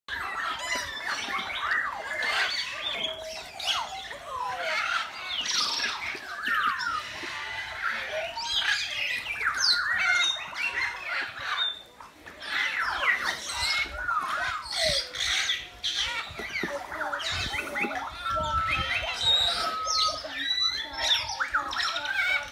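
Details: Meerkats in their enclosure at Lincolnshire Wildlife Park, investigating a cardboard box newly placed among them; dense overlapping squeaky chirps and sliding squawks continue throughout, many animals calling at once, with brief quieter gaps.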